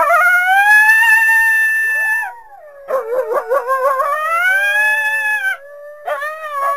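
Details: Coyote calling through the trees on a winter day in a backyard: a long, clear, wavering howl that holds steady, then falls, followed by a burst of rapid quavering yips and a sustained, slightly rising howl.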